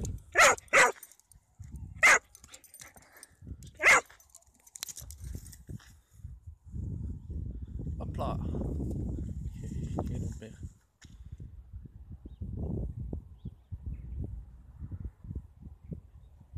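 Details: Rough Collie out on a walk on a sunny day, barking while playing with a thrown stick: four sharp barks in the first four seconds, then footsteps, rustling and German speech.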